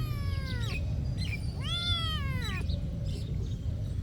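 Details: A cat at a monastery gives two harmonic meows: a short falling one, then a longer arched, drawn-out cry, over a steady low rumble with faint chirps high above.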